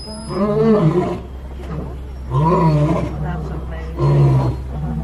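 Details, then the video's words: Lions roar at Animal Kingdom's Kilimanjaro Safaris in Disney World, recorded from a truck: three loud, deep, moaning roar grunts about every two seconds, each swelling then fading, over a constant low engine hum. "The Lions Roars!"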